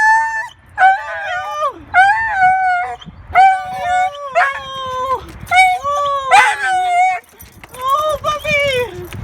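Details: Dog excited to see its owner, giving loud, long yodelling whines and howls, each about a second long with wavering pitch that sags at the end, repeated with brief pauses.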